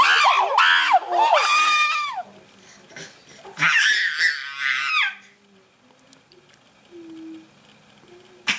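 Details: Chimpanzees scream, loud harsh harmonic shrieks rising and falling in quick bursts, with a baby among them.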